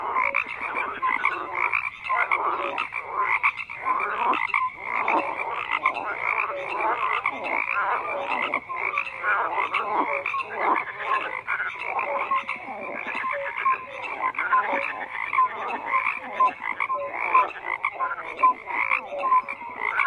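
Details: Long stretch of frogs croaking: a dense wall of rough, overlapping croaks with pulsing surges and occasional clear short notes, continuing steadily with no gaps or other sounds.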